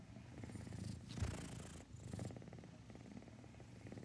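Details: Cat purring at close range, a soft, low, continuous rattling throb with a steady fast pulse, gently swelling and fading across the clip, with faint breathy noise in the background.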